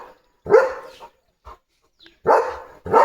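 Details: Loud, harsh single barks from Leo, a limping pet German Shepherd, each bark spaced about two seconds apart, while a person in Marathi tells him to chase everyone off.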